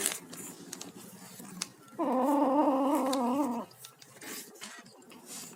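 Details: Kitten making noises while eating: a steady, slightly wavering, tonal cry lasting about one and a half seconds mid-clip, framed by soft clicks and chewing sounds indoors.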